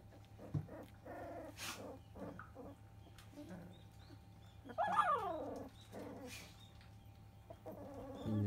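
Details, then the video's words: Fifteen-day-old field-type Labrador Retriever puppies whose eyes have just opened, placed on newspaper for the first time; soft squeaks and one longer sliding whine near the middle, with paper rustle and low hum. "Labrador puppy 15days old"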